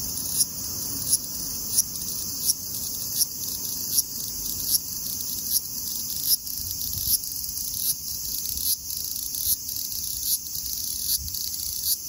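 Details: Large brown cicada (Graptopsaltria nigrofuscata) at 24 degrees (75 °F) giving a steady high sizzling drone, broken by sharp brighter clicks or accents a little under one a second, against faint low background rumble.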